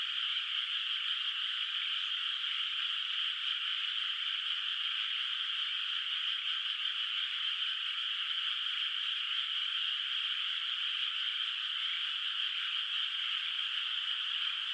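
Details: Chorus of distant frogs in a quiet rice field under moonlight, before rice planting, at night in the countryside: countless high, rattling trills merge into one continuous, even drone that holds level throughout, with nothing else audible.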